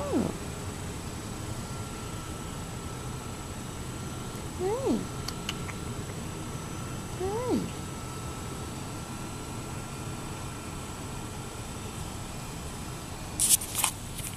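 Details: Gray and white feral male cat in a yard, meowing twice about two and a half seconds apart, each meow short, rising then falling, over a steady background hum with faint clicks near the end.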